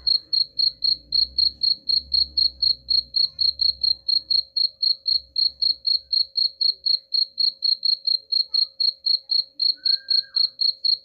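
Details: Steady high cricket chirps at about four per second, meant to scare off rats, with a soft low rumble underneath during the first half and a brief faint tone near the end.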